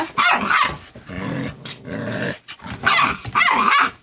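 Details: A young white Jindo puppy at a Korean countryside farm gives harsh, rough barks and low growly yaps in bursts.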